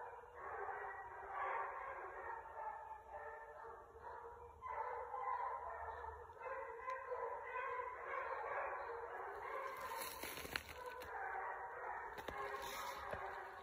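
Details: Hunting pack of six basset hounds trailing a rabbit, 12/21/22: a thick, unbroken wash of overlapping bays that rise and fall throughout, with scattered clicks and rustling late in the passage.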